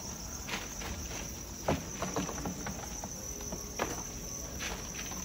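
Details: Crickets on a farm raising them commercially trill in a steady, high, continuous chorus, with scattered rustling and tapping sounds.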